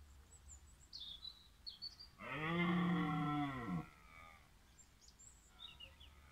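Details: Roaring stag at the Wild- und Freizeitpark Willingen on 15 October 2018 gives one deep, harmonic-rich bellow of about a second and a half that swells and then drops off. High, thin bird chirps and a low hum sound around it.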